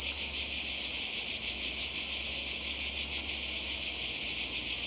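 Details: Cicadas calling in summer in Croatia, by the sea: a dense, steady high buzzing drone with no breaks, loud and continuous throughout, with a faint low hum beneath.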